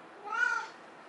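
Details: Finicky male Ragdoll cat indoors, refusing his prescription urinary food, meowing as if saying no. A single short, clear, harmonic meow, slightly rising then falling, in a quiet room.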